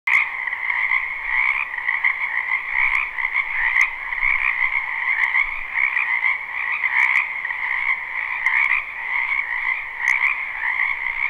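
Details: Dense chorus of many frogs in a spring wetland behind a house, recorded live at night for sleep: continuous overlapping trilled croaks in two steady bands, mid and high, with a few sharp clicks standing out.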